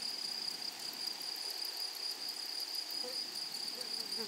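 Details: Grasshoppers chorusing in a flowery meadow give a constant high shrill note with fast, regular pulsing above it. A few faint soft chirps come near the end.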